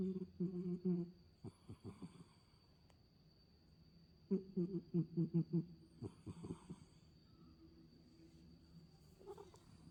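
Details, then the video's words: Asleep, the pet cat Mei gives odd low, snore-like grunts: soft humming pulses in bursts, a quick rapid series of short throaty beats mid-way, then quieter breathing in a still indoor room. "잘때 이상한 소리내는 고양이 메이"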